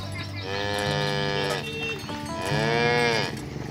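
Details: Free-range village cows herded toward the pen: two drawn-out, nasal moos about two seconds apart, the second arching higher, over steady background music.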